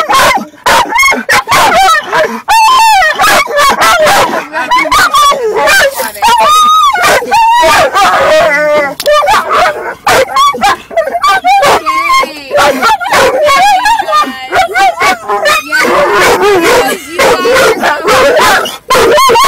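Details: Dog in a car making loud, near-continuous yelping barks mixed with warbling, howl-like cries while a second dog moves about; dense, harsh sounds with hardly a pause.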